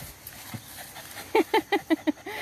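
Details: Pet dog: a quick run of five short, harmonic yelping barks spaced about a fifth of a second apart, then a longer arched whine, with soft Spanish chatter and laughter around.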